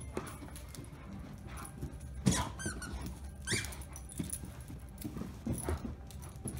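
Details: Irish wolfhound. Short, squeaky whines and yelps from an Irish wolfhound come in scattered bursts, some wavering up and down in pitch. A steady low indoor rumble runs underneath, with faint movement noise.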